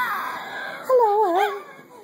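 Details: Pet Jack Russell Terrier singing indoors: a drawn-out wavering howl that glides up and down, starting high and fading, with a faint steady background hum.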